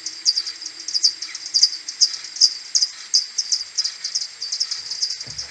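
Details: Common pipistrelle maternity colony returning to its roost in the morning on 21 May, recorded on an AudioMoth 1.1 and slowed tenfold: dense, uneven trains of short high ticking pulses, with occasional lower chirps beneath.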